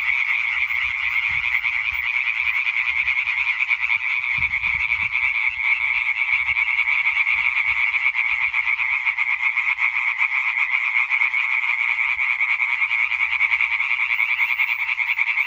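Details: Singing concert of European tree frogs dated 20.05.2023: a massed, relentless chorus of quick, harsh croaks, individual pulses merging into a constant buzzing rattle for the whole stretch, with occasional soft low rumbles beneath.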